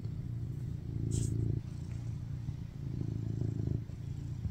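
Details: Low, rumbling purr from BabyCharlie, a male tuxedo cat adopted in 2021, resting on top of his owner and craving cuddles; two long swells of vibration with a brief high rustle early on.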